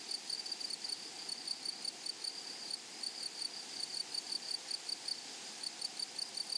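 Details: Grasshoppers among meadow flowers sing in short, bright, high pulsed bursts. The bursts are separated by brief pauses, giving a stop-start rhythm over a soft rural background hiss.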